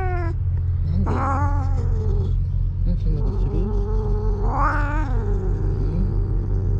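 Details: Karin, a ferocious cat, out on a walk with another cat, Okappa, turns jealous after lying belly-up in a good mood. Drawn-out wavering yowls come near the start and again, rising then falling, around five seconds, over a steady low rumbling hum.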